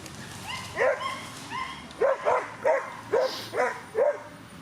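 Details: Whippet at the Twin Cup 2017 coursing competition in Latvia, barking in a rapid series of six sharp, high yelps about half a second apart, with faint crowd murmur behind.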